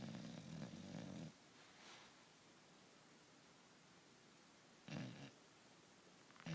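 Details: Male English Bulldog asleep indoors: a rough, low, rumbling snore lasting just over a second, then quiet, then a second shorter snorting breath, with a faint click at the end.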